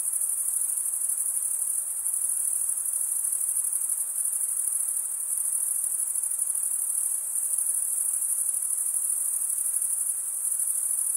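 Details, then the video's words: Crickets, chiefly males, chirp by stridulation, running one wing over the comb-like teeth of the other. Here a sustained shrill trill holds steady throughout, layered over gentle diffuse hiss, with no other animals or voices. "Most relaxing cricket sound for 8 hours"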